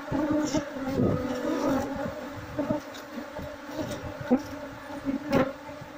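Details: Wild Apis cerana honey bee colony buzzing intensely as its queen is hunted so the swarm can be moved into a box; thick, steady humming with scattered taps and rustles.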